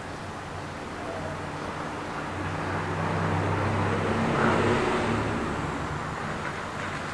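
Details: Steady road traffic with a passing vehicle swelling in the middle, low engine hum throughout, and no animal voices.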